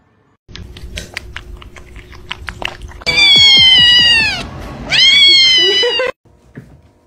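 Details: Cats, described as kittens playing, give two long loud meows with rich harmonics falling in pitch after a stretch of clicking, rattling play noises; a short quieter sound closes the clip.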